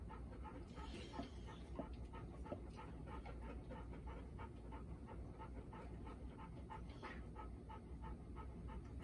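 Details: Panting Golden Retrievers indoors the day after four-year-old Bis, daughter of Ibuki, joined Kohaku and Ibuki in September 2021; quick regular breathy huffs throughout, a few faint clicks near the start, low hum beneath.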